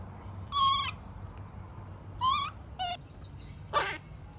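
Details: Tantrum cries of a baby monkey when its mother leaves: four short, tonal, harmonic wails, the first two held with a slight upward bend, the last rougher and noisier, spaced unevenly over low rumbling background.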